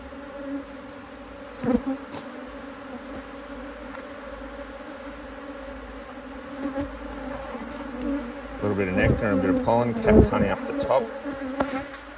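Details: Honey bees droning steadily as their Hive IQ hive, doing well in near mid-Autumn 2023 in Australia, is opened to add a box; constant low hum with overtone, then a person talking over it toward the end.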